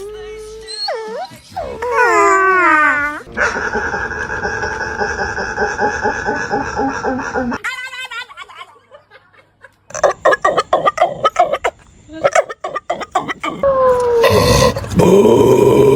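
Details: A dog making strange noises: wavering whines that slide up and down in pitch, then a long steady buzzy drone, followed by choppy bursts and a final rising squeal, with voices and possible music mixed in.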